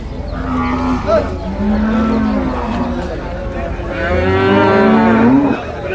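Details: Young buffalo at Cholakkal market, Payyanad, Manjeri, Kerala, at about six or seven a.m. Sustained, wavering moans follow one another, then a louder rising bellow swells near the end, with low market rumble beneath.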